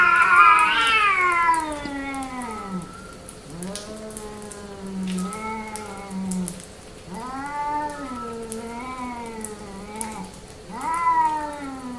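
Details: Female domestic cat in heat giving long drawn-out yowling meows, several in a row, each wavering and sliding down in pitch, with faint tapping noises in the background.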